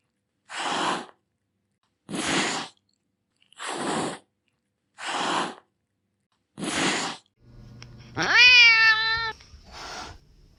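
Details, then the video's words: Domestic cat hissing: five short, breathy, rasping bursts, each about half a second long and spaced about a second and a half apart, then a rising harmonic meow and one final brief hiss. "Cats Hissing Sound"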